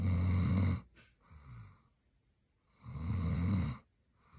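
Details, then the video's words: Sleeping German Shepherd, Roxy, snoring: two long rumbling low snores, each close to a second, with a soft breath between them. "Snoring German Shepherd is a BIG BABY"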